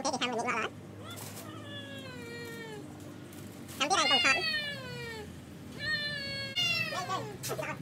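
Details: Rival cats battling over a female in a village: loud arching screeches alternate with long, slowly falling moans, three or four yowling bouts within a few seconds, harsh and strained at their peaks.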